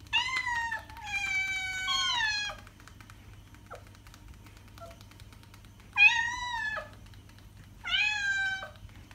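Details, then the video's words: Meowing house cat, used to attract cats: two joined long meows, then quiet with faint clicks, then two shorter clear meows about two seconds apart over a low hum. "Cat sound - cat meowing to attract cats"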